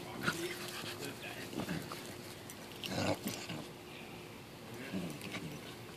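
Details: A corgi playing rough with his dog friends gives short, rough barks and grunts at irregular intervals, with voices in the background.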